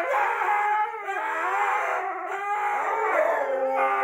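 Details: Two Siberian huskies howl together in response to wolf howls from the TV, in long, wavering, overlapping tones that rise and fall without a break.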